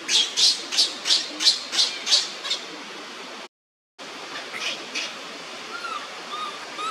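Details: While Libby bothers him, Leo the monkey cries on the ground: a quick burst of piercing squeals about three a second that fades away, then a pause and faint, thin calls after.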